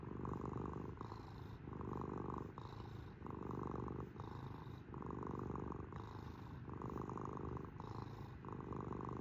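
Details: House cat purring up close, a rumbling, throbbing drone rising and falling with its breathing about every second or so, continuous throughout with nothing else audible.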